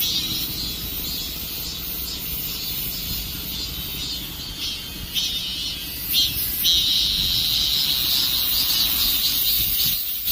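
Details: Dozens of cicadas sitting on a tree at the end of summer; a continuous piercing high buzz with pulsing surges, one nearby caller growing louder midway, faint traffic-like rumble beneath.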